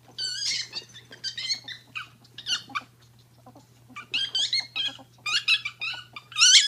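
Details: Pair of female pet ferrets playing; one is deaf and screeches, the hearing one dooks from excitement. Sharp high squealing bursts come in clusters, fading near three seconds, then returning louder and more frequent toward the end, over a low constant hum.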